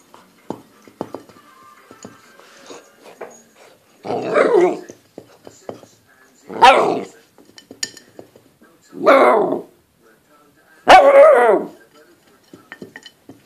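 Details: Nine-week-old Golden Retriever puppy playing with a plate, giving four loud harmonic barks spaced about two seconds apart, with clicking and scraping between them indoors.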